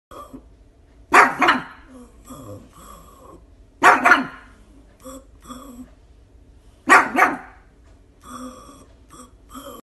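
A pug gives short, paired vocal bursts that sound like "poo poo," repeated every few seconds.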